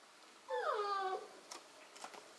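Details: Korthals Griffon litter on its 40th day with mother Djip, indoors: a single drawn-out, falling whine lasting under a second, followed by faint soft rustles in a quiet room.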